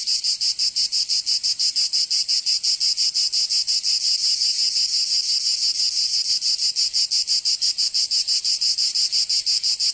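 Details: Chorus of cicadas in summer, Provence in the south of France. A piercing, high-pitched buzz throbs rhythmically about three times a second, very even throughout, with no other voices or noise.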